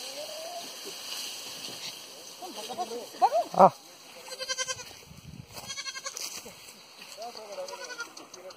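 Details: Pahadi goat in a village in Pauri Garhwal, giving two short, quavering bleats with a fast tremolo around the middle of the clip. People talk before and after, and there are faint rural background sounds.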